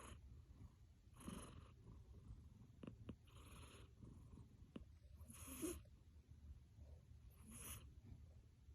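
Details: Achilles, a sleeping pet cat worn out from play, snoring in soft breathy bursts with a faint rumble and a few clicks in between, the last snores a little louder.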